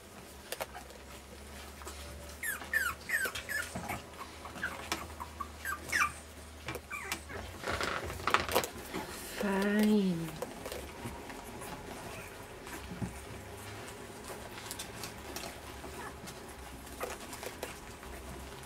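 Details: Puppies at dinner time on day 23, indoors, giving a run of thin, high, rising whimpering squeaks over soft feeding patter and scuffling, with a brief human voice midway.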